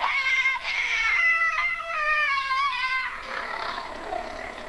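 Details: Cat yowl, described as a mating call or territorial cry; a prolonged, mournful, wavering harmonic wail lasting about three seconds, bending slightly up and down before fading into breathy noise.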